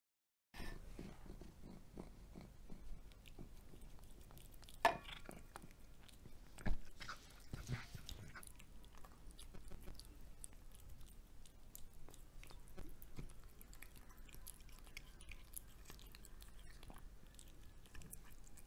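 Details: Pet cat eating fried egg indoors, close recording of soft wet chewing and biting, irregular clicks and smacks about every two seconds over a low steady room hum, with a few louder bites near the start.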